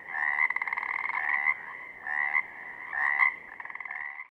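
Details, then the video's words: Chorus of Pacific chorus frogs from southern Oregon, with several overlapping raspy two-note croaks and rattling trills, irregularly spaced and rising slightly at their ends, in a quiet setting. "Pacific Chorus Frogs - photo gallery and calls"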